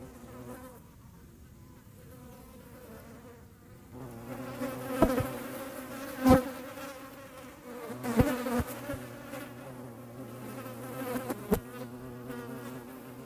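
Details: Hornets making room, a quiet start giving way after four seconds to a humming, harmonic wing buzz over a deeper steady drone, broken by several sharp clicks or taps.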